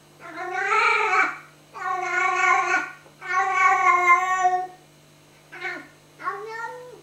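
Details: Tiggy the talking cat chatters at a moth above her head: three long, wavering meows in quick succession, then two short chirping calls, one with a rising-falling bend, over a low background hum.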